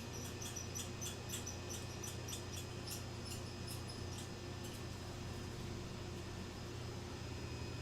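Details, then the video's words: Two squirrels chatter loudly in quick, high, scratchy chirps over a steady low indoor hum, around 10:38 a.m. on October 13, 2022. "oh that's two squirrels no wonder they're so loud they brought friends"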